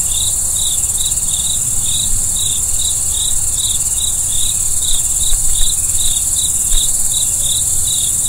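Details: Crickets calling after dark, short bright chirps repeated at a quick regular pace, set against a continuous thin whine of other insects and faint low noise.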